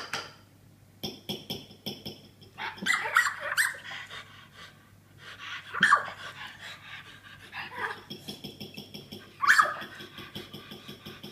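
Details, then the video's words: A female Australian Terrier with a birth defect that leaves her unable to bark gives high, thin squeaks instead, in short bursts a few seconds apart; the harder she tries, the higher-pitched the squeak. "Dog That Squeaks Instead of Barking?"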